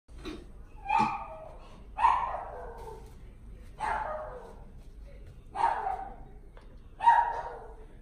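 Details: Golden Retriever puppy in a pet shop in Omihachiman, Japan, giving five short whining yelps, each sliding downward, spaced about one to one and a half seconds apart, with quiet room background between them.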